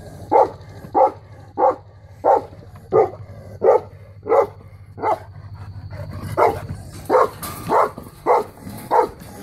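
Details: A female Saint Bernard, 3 years old, barks on guard duty: a long run of regular, booming barks, roughly one each 0.7 seconds, with a low background drone and some rising noise near the end.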